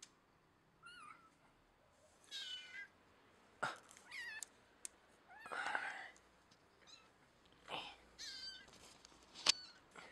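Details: Domestic cat giving a series of short, quiet meows, some with rising-then-falling wavering pitch, spaced every second or two, with a person saying words like activation and deactivation and small clicks in a small room.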